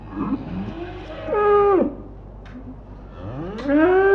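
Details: Cows on pasture mooing: a loud harmonic moo that holds level then drops sharply, followed by a second moo rising steeply in pitch, with a fainter lowing call and quiet background between.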